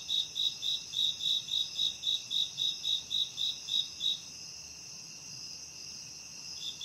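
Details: Forest crickets heard at night while camping: about four seconds of rapid evenly spaced chirps, then only a continuous high insect drone remains, with a last chirp starting at the end.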